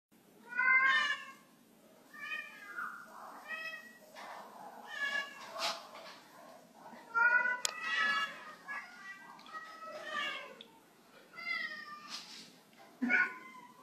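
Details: Pet cat, struggling to jump from a waxed floor, gives a string of clear, harmonic meows, some short and some drawn out and wavering, spaced one to two seconds apart, with soft indoor background.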